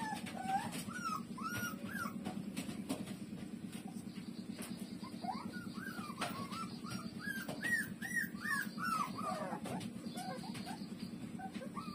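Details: Lulu, a puppy feeding from its mother, lets out strings of short rising-and-falling squeaky whimpers, clustered in the middle of the stretch, with a continuous low pulsing background hum.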